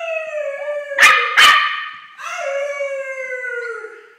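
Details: A steady tonal howl from Pepper the dog, aimed at Callum, broken by two quick sharp barks, then a second long howl that slowly falls in pitch.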